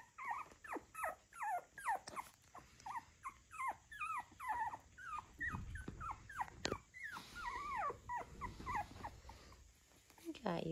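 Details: Brandy's young puppies on February 14th keep up a steady stream of thin, high, falling squeals and whines, about two per second, with brief low rustling around the middle and a rising squeak at the end.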